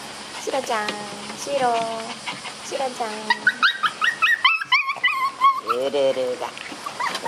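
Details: Several Shiba Inu puppies tugging at a toy produce descending whines with rich harmonics, then a flurry of sharp, high yips and squeaks overlapping in quick succession.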